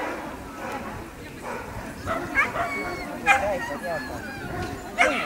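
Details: Dog show ring for standard wire-haired dachshund females, champion class: a few short, high yipping barks spaced about a second apart, with people chatting throughout the hall.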